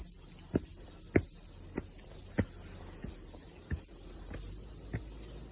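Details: Cicadas singing on a mountain after morning rain: a continuous shrill high buzz, overlaid by footsteps crunching roughly every half second as someone walks along the trail.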